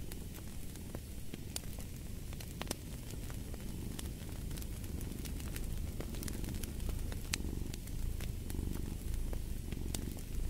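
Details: Domestic cat purring beside a crackling fireplace, a low rumbling purr swelling and fading with each breath, while sharp wood-fire pops and crackles sound throughout.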